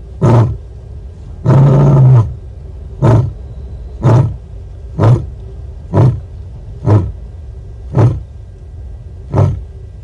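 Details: At Nkorho, South Africa, a female lion calls to make contact with other lions, 30 September 2021, on a livecam; one longer deep moan followed by a run of short, low grunts roughly one per second, gradually softening.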